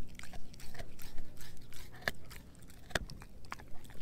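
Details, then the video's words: Rapid crunching as German Shepherd mix Edu eats his dehydrated pig ear chew: dense crackly bites with two especially sharp snaps, about three chews per second. "Edu Eating a Dehydrated Pig Ear Dog Chew ASMR"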